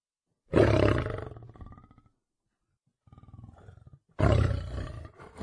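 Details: Lion in the wild gives two loud, harsh, raspy roars a few seconds apart, each fading out, with a quieter pulsed grunting growl between them.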